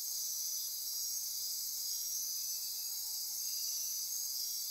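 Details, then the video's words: Dense nocturnal insect chorus in Costa Rican rainforest near Corcovado National Park on the Osa Peninsula, recorded at midnight: a continuous high shimmering wall of trilling and buzzing, with steady whistled tones layered on top throughout. "Costa Rica Rainforest - Midnight Insect Chorus"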